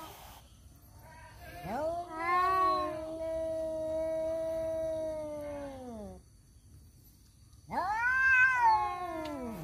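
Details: Two rival male cats quarrelling over a female; a loud, rising yowl swells into a steady, nasal moan held for about four seconds, fades, and after a pause another strident, climbing yowl begins.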